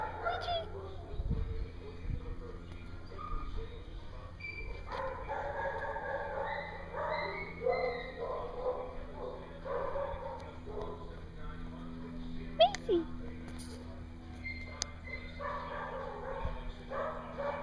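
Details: Dogs at a dog daycare in Hooksett, New Hampshire, on 21 April 2016: a run of harmonic, mid-pitched barks and yips clustered in the middle stretch, set against murmuring human voices and a steady electrical hum.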